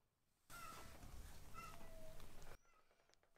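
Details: Foster kittens Ashiro and Akuro, rescued baby cats learning to eat weaning food, let out two short, high mews and then a lower, drawn-out mew through a burst of loud broadband rustling, with quieter background sounds afterwards.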